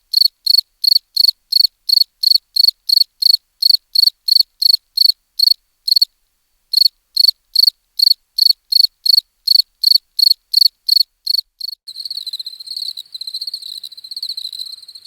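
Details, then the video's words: Evenly spaced high cricket chirps, about three a second, broken by a brief pause, then near the end shifting into a denser, continuous trilling chorus. "CRICKETS CHIRPING SOUNDS"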